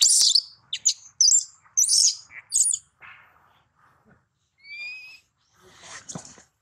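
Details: Baby monkey separated from its mother screaming loudly to call her: a run of short, shrill, harsh shrieks, then quieter rasping sounds, a thin rising whistle, and a final rough cry.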